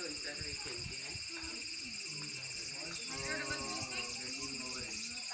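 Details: Cicada perched on a tree, producing a continuous, steady, high-pitched buzzing drone with several level tonal bands throughout, over faint low murmuring voices.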